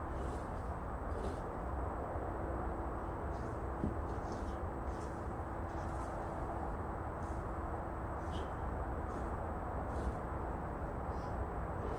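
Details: Steady, even roar of a running leaf blower fills the whole stretch, with a faint hum and no animal voice.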